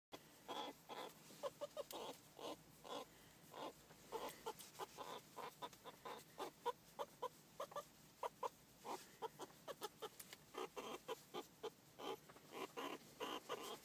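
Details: A pet meerkat being tickled and cuddled gives rapid, soft clucking chirps in short irregular bursts.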